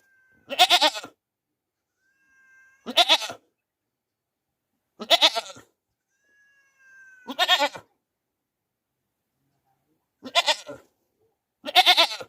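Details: A desi goat screams in loud, harsh, human-like bursts, roughly every two to three seconds.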